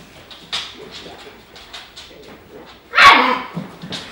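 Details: German Shepherd puppies socialising with adult German Shepherds; faint yips and whimpers scattered through, then one loud harsh bark near the end followed by a few softer yelps.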